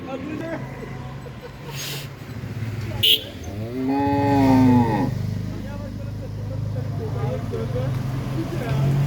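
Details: Pregnant Red Friesian cow for sale in Pabna district, Bangladesh; a single shorter moo midway through, over steady low engine-like rumble and background noise, with brief clicks and a man speaking before.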